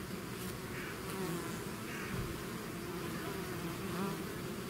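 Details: Short stretch of a bee swarm leaving its hive: an even, dense buzz of many wings, with a few nearby bees briefly whining louder as they pass.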